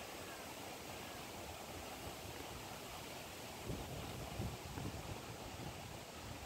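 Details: Dense rushing wind or water noise fills the recording, with a few soft low thumps near the middle and no clear animal call.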